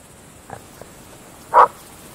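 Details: At night in open fields, a Groenendael (Belgian Shepherd) gives a single short, sharp bark after a faint, softer yelp, then quiet.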